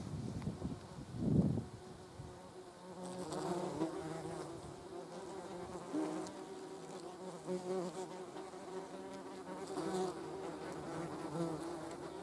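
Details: Yellow jackets, German wasps, crawling and flying around a jam jar. One loud, brief buzz as a wasp passes close, followed by a faint, steady background hum with slight rises.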